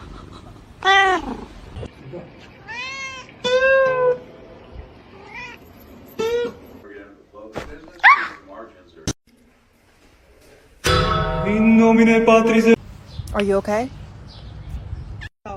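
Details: Domestic cats in a funny cat compilation, giving several drawn-out meows that rise and fall in arched, harmonic-rich tones, scattered across the clip between quieter gaps, with a burst of louder, buzzier vocal sound near the end and human speech mixed in.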